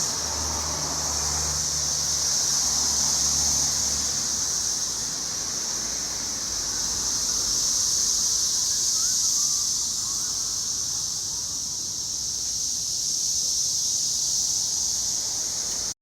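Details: A tree full of Brood X periodical cicadas in Cincinnati, June 2021, pours out a dense, unbroken high hissing drone that swells and eases slowly in waves, with a faint low rumble of passing traffic during the first seconds.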